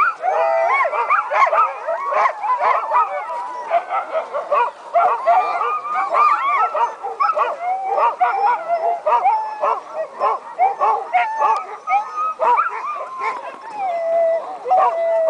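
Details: Many excited sled dogs howl about an hour before the start of the 2010 Wolftrack Classic sled dog race, long wavering tones overlapping in a dense chorus, broken by quick yips, barks and whimpers.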